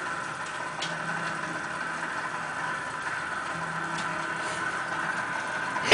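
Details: A steady engine-like hum with faint ticking and music fills the clip, and no animal is heard.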